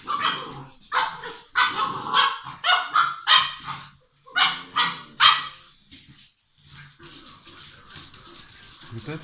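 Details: Six-week-old English Mastiff puppies romping together at a Czech breeding kennel produce dense high yaps and squeals in quick bursts, then a quieter stretch with mixed low rumbles and noise.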